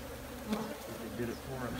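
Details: Faint, dense hum of honey bees, a wavering low buzz under a hiss of background noise.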